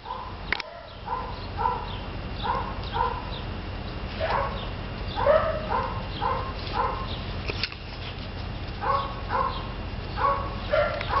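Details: Six-year-old female Weimaraner from a rescue, exploring the exercise yard of a boarding and vet facility in northeast Indianapolis; short tonal yelping barks repeated in quick bursts throughout, with faint handling noise and thumps.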